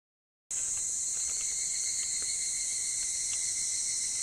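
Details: Evening cicadas (higurashi) calling before dawn on a summer morning: a dense, steady, high-pitched ringing drone that starts abruptly and holds unbroken, with a few faint clicks beneath it.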